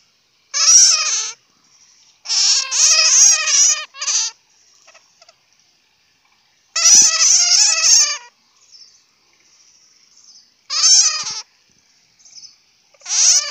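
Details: A bat's loud, grating, stuttering squeals come in a long run of clustered bursts, some pulsed in quick triplets, with pauses between groups and faint high whining in the background.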